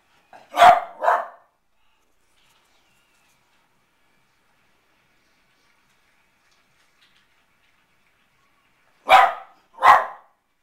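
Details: A Pembroke Welsh Corgi watching a baseball game on TV barks at the pitchers for not throwing the ball to him: sharp, mid-pitched, clipped double barks, then about eight seconds of near silence before a second double bark.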